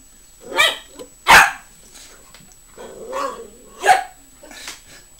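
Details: A dog barks at a broom in short, sharp, uneven bursts, some louder and harsher than others, with a quieter drawn-out vocal sound between barks.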